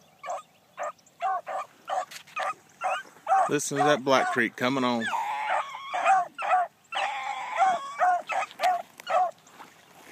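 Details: Blackcreek gyp hound Bee, on her first morning run, gives rapid barks while running a trail, with a man's voice speaking over the middle of the barking and more quick bark bursts afterward.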